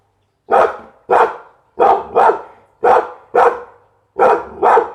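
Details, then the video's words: Pit Bull dog delivering eight loud, sharp barks, mostly singly or in pairs about half a second apart, each with a rough, ringing mid-range tone. "เสียงหมาเห่า #หมาพิทบูล"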